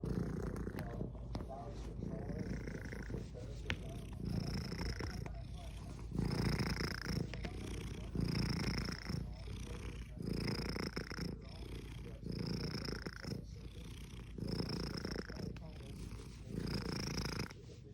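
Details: Content Siamese cat rolling on a carpet while being petted, purring steadily, its low rumble swelling with each breath about every two seconds.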